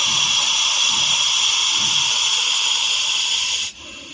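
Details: Russell's viper found in Vapi city giving one steady, forceful hiss that rushes on for nearly four seconds before abruptly dropping away to quieter breath noise.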